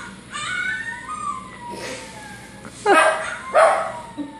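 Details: Izzy, a pet dog, reacting to dogs shown on TV. Thin wavering tones drift along first, then two sudden loud, harsh barks land about half a second apart near the end.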